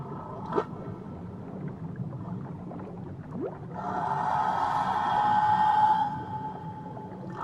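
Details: Whale off Tahiti, a drawn-out tonal moan holding steady pitch for about two seconds after a brief rising sweep, over constant beach and water ambience with a low background hum.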